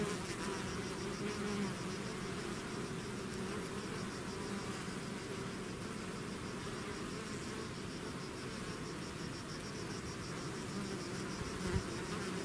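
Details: Bees swarming out of their hive make a thick, unbroken drone of many wingbeats, low humming bands wavering slightly over the whole stretch.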